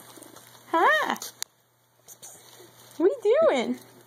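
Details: Male house cat that climbed into a bag and is playing through it; two clear, arching meows, each rising then falling, about two seconds apart, with soft bag rustling in between.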